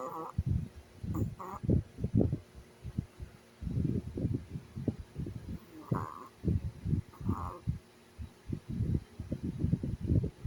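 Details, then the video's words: Rhythmic, gravelly snoring from a Chihuahua asleep, with deep rattling bursts repeated in clusters about every second and occasional short squeaky nasal whistles between breaths. "Have you ever seen a chihuahua snore?"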